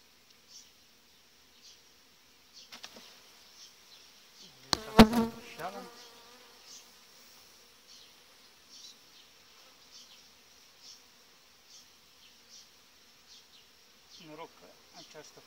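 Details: A Western honey bee's low, droning buzz swells as it passes close, amid soft clicks and a faint hiss, at a strong, well-developed hive colony with a breeding queen in July.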